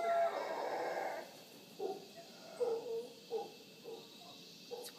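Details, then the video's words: Wild howler monkeys visiting in the morning at Villa Toucan, Punta Uva, Costa Rica, near the Manzanillo Wildlife Refuge: a loud roaring burst opens, then short grunting howls recur every half second or so over a steady insect hiss. "Howler Monkeys of Punta Uva Costa Rica"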